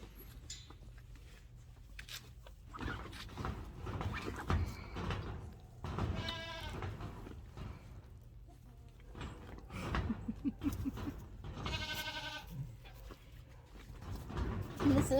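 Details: Nigerian Dwarf baby goats on a farm, friendly and close to their keeper, give two bursts of wavering, nasal bleats, separated by quieter stretches of rustling, a woman's voice, laughter and soft background music.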